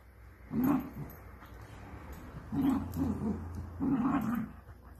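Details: Dachshund at play giving low, rumbling growl-like grunts in three separate bursts about every one and a half seconds, over a steady low hum.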